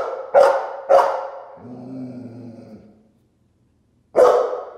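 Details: A Golden Retriever barking at its own reflection gives loud, deep barks with a low growl between them.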